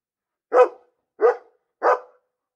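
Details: Domestic dog barking: three short, sharp barks spaced roughly 0.7 seconds apart against a silent background, each a broad burst with a strong midrange core.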